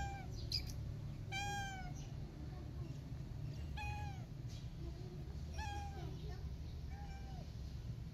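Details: Frightened kitten after its mother cat left, not letting anyone touch her; five sharp, high meows, each a brief falling wail with rich harmonics, spread across the stretch above a constant low hum.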